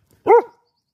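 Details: Single clean, sharp bark from Ely, a female Galgo Español guarding what she considers her territory, short and harmonic with a slightly arched pitch, in otherwise silent surroundings.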